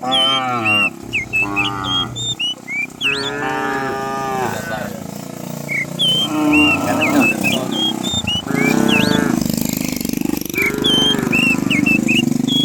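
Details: A herd of dozens of cows running down a hill in the morning through village countryside: repeated overlapping moos of varying pitch, some short and some sustained, with a low rumbling background and frequent bird chirps.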